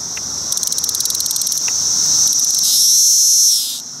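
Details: Male Magicicada cassini cicada giving court song at a Route 199 rest stop in Rhinebeck, New York, among many cassini and decim cicadas. A quick run of sharp ticks is followed by a loud, rising, shrill buzz that cuts off after about a second.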